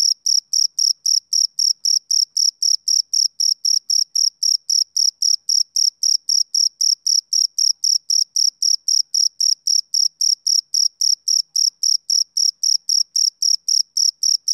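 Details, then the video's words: A male cricket's summer-evening chirping runs as a rhythmic, shrill pulse, close to four chirps each second, without pause for the whole stretch; the background is quiet and empty of other sounds. "Cricket Chirping Sound Effect"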